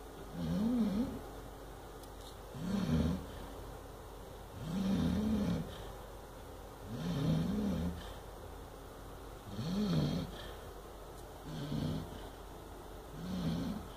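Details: Chow Chow puppy, eight months old, snoring through a bad dream: steady low rasping snores repeat about every two seconds, some carrying a wavering whine, with soft hush between breaths.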